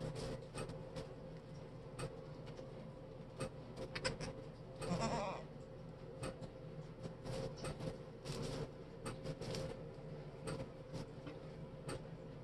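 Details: A bouncy baby fainting goat in a new sweater on a Pennsylvania farm gives one brief wavering bleat amid sharp tapping sounds and a steady low hum.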